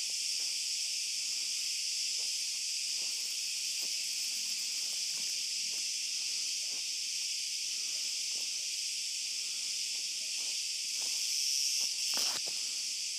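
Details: Olive grove after dark, cicadas droning: a steady piercing buzz fills the high range while footsteps tap along irregularly, and a sharp louder rustle or click burst breaks in near the end.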